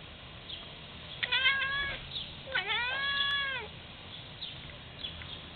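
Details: House cat talking to birds with two meows, the first short and level, the second longer, starting low, rising then slowly falling, amid quiet room sound.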